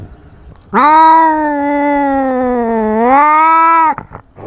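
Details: Cat with a GoPro fighting and asserting dominance over its territory: one sustained, loud yowl lasting about three seconds, steady in pitch with a slight dip and rise near the end, rich harmonics, then clicks.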